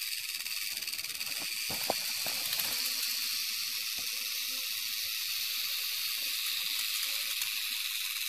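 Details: Western diamondback rattlesnake rattling with a steady, dense high-pitched buzz that holds throughout, and a few soft low scuffling knocks in the first three seconds.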